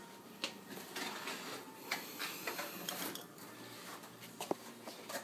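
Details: Quiet indoor hiss with scattered clicks, taps and rustles, and no animal voice.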